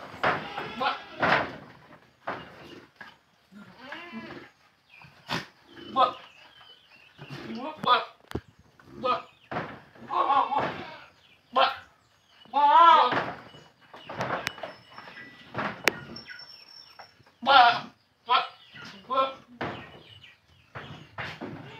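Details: Young red Boer goat being crossed with a young red-headed Javanese doe on a village farm at Tugurante, Blitar; short wavering bleats come up between frequent Indonesian speech, clapping and background noise.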